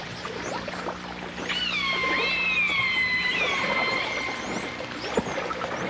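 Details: Dolphins and orcas, captured in full dimensional stereo in 1989: a single long harmonic whistle rises, then wavers and slowly descends over about two seconds, with scattered faint clicks and high chirps in a hissing underwater background.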